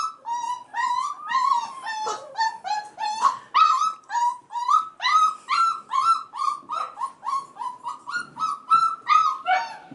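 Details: Male F1b Goldendoodle puppies, five and a half weeks old, crying in the background as the females play with children; insistent high whimpers, each bending up then down, follow one another quickly and almost without pause.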